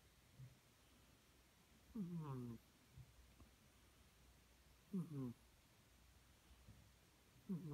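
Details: A female British Shorthair cat snores with low, rasping, slightly falling breaths every few seconds.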